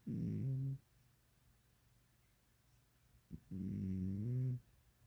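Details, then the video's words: A cat asleep, snoring in two drawn-out, low, buzzing breaths about three seconds apart, each with a slight rise in pitch, in a quiet room. "The one with the snoring cat"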